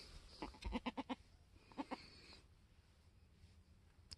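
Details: Mini Alpine goat kid, a newborn F4 buckling born on a homestead on 13 March 2021: a rapid run of four or five clipped, nasal bleat pulses, then a shorter pair, before quiet; a person speaks gently nearby.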